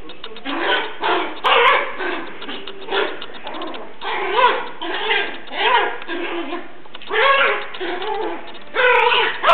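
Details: Yorkshire Terrier puppy at play with a big cat indoors makes a run of short high yips and whiny, rising-falling growl-barks in uneven bursts every second or so.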